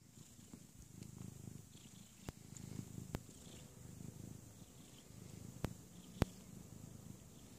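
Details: Adult male Russian Blue/Persian cat, himself a father, still suckling from his mother: a soft, low, steady rumbling purr pulsing continuously, with a few sharp clicks and a faint high hiss in the background.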